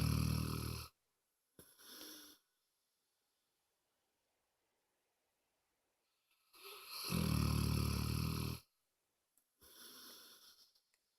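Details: Moses, a pet dog, snoring loudly indoors: long rasping, low-pitched breaths of about two seconds, separated by silent pauses, with shorter softer snores between them.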